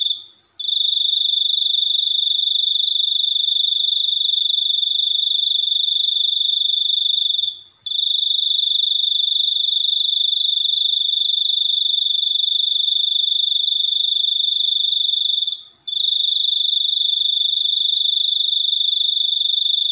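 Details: A continuous shrill, ringing trill from a cricket runs for seven to eight seconds between short breaks. It holds one high pitch throughout, with a clean, quiet background.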